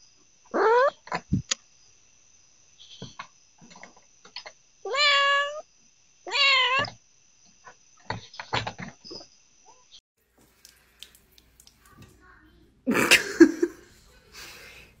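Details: Domestic cat meowing: a short sharp meow, then two longer drawn-out meows that rise and fall, several seconds apart, with soft clicks and thumps between and a burst of loud rustling noise near the end.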